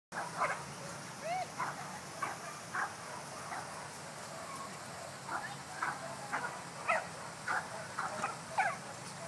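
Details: Shiba Inu dog playing ball by itself indoors, recorded April 2011; a run of short, sharp yelping barks in irregular bursts about once a second, with one thin rising whine early on, over a low steady background hum.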